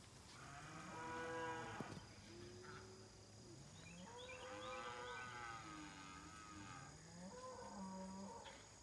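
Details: Several cows at a ranch low repeatedly in the morning, each moo a long, harmonic-rich call that swells and bends in pitch, overlapping and trading off over a faint steady hum.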